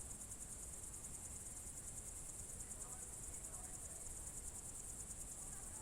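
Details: Evening crickets in June 2023 at the Novye Buregi tract, Novgorod Oblast, Russia, making a steady high pulsing trill throughout, with faint low murmuring and brief soft sounds beneath.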